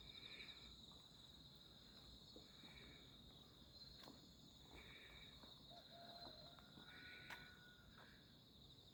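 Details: Insects calling on a summer night, 11 August 2025, during a walk through quiet alleys under moon and stars; a steady high buzzing band runs throughout, with short shrill chirp bursts recurring every second or two, and faint footsteps.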